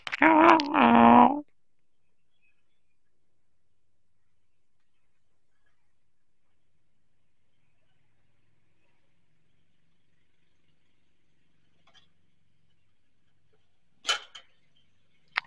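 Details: Persian cat gives one short two-part meow, tonal and rich in harmonics, lasting just over a second at the start. Long near-silence follows, broken only by a brief click near the end.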